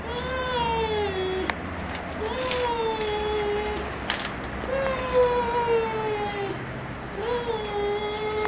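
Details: Giant Schnauzer puppies at Kennel Vestigia Ares, recorded 15 October 2009, giving drawn-out, slightly falling whines. Four long tonal cries come roughly every two seconds, with a few sharp knocks and a low steady hum underneath.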